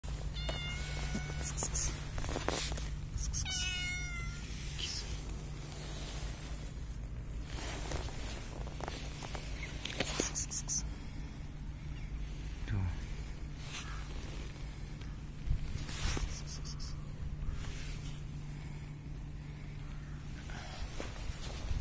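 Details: A cat that approached the recorder, described as very unusual, gives two short tonal meows near the start against a steady low hum and rustling.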